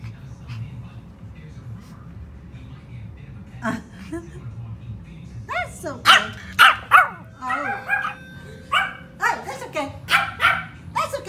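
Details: Small Pomeranian alerting to a doorbell at home. Quiet talk at first, then a burst of rapid, shrill yaps from the halfway point that keep coming in uneven runs, with a lingering chime tone and a person speaking softly.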